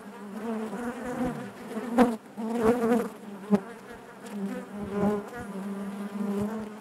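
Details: Inside a honey bee hive, the colony's natural buzzing forms a continuous low drone rich in harmonics, rising and dipping in volume, broken by a few sharp taps near the second and fifth seconds.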